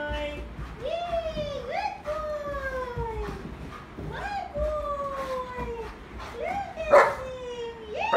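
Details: Happy German Shepherd dog spinning in play while being praised, giving a run of high whining glides that rise sharply then slide down, repeated roughly every second, with a sharper yip near the end.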